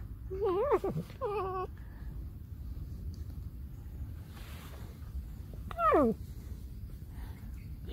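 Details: Alice, a domestic pet fox, complains in a small room with three wobbling, nasal whines. The first two come close together and the third follows after a quiet gap of about four seconds, each ending in a downward slide.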